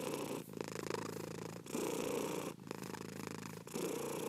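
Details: Domestic cat purring steadily, a low rumbling buzz in long phases of roughly a second, broken by short breathy pauses; no other sounds.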